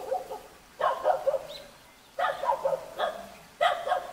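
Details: A young Jindo dog in a Korean mountain village near Jeonju barks in quick, rough, slightly yelping bursts about every second, with short pauses between the volleys.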